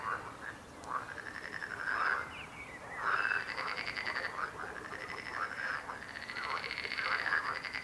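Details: Several frogs croak at once in a continuous chorus, buzzy pulsed trills overlapping with short bubbling arched notes that swell and ebb roughly every second or two.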